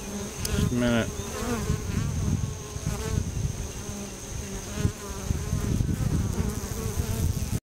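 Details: Bees at the entrance of a wild honey bee tree: a loud bee zooms close past the microphone near the start with a sharply rising, falling buzz, then a steady low droning swarm hum continues.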